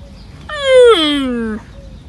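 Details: Young camel's sad, distinctive call: one loud, drawn-out moaning bleat about a second long, starting high and sliding steadily downward, with rich harmonics and a quiet background.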